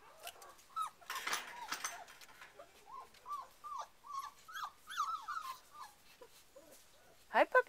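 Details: Four-week-old Rhodesian Ridgeback puppies, described as shivering, give a series of short, high, wavering whimpers, some rising and falling, while a person speaks and calls to them throughout.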